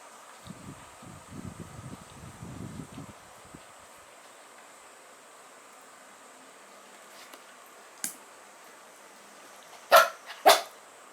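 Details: A pet dog named Bun, rumoured to be silent, first rustles quietly, then gives a single faint bark followed two seconds later by two sharp, loud barks half a second apart.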